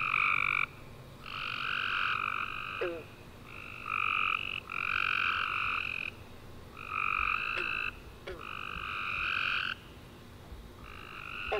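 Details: Tree frogs singing at night after summer rain: near-continuous bursts of buzzy trills, several frogs answering one another in quick succession, with scattered faint clicks beneath.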